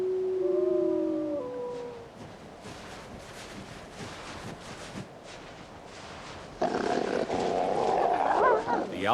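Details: In winter in Alaska, a gray wolf pack competing over a moose carcass snarls. A short tonal, wavering howl-like opening and a man narrating precede a harsh, ragged growling burst near the end as a male reasserts dominance.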